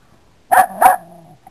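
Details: Dog giving a quick double bark, two sharp loud woofs about a third of a second apart, followed by a fading low growl-like tail.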